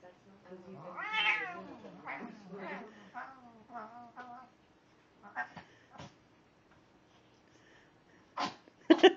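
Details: Tormented-sounding cat crying indoors: a series of drawn-out, wavering meows, the first longest and highest, then shorter descending cries, followed by quieter gaps and a few sharp clicks or knocks near the end.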